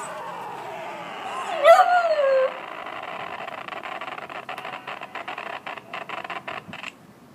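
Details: Five-month-old American Cocker Spaniel indoors, reacting to the song Karma Police: one short, falling, whining howl lasting under a second, followed by rapid rhythmic tapping and rustling.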